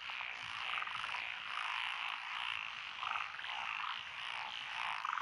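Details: Countless frogs calling from lotus rice fields in Echizen, Fukui, Japan, June 2021, including Japanese tree frogs and Schlegel's green tree frogs: continuous rattling croaks layered into a dense, throbbing chorus with brief louder trills.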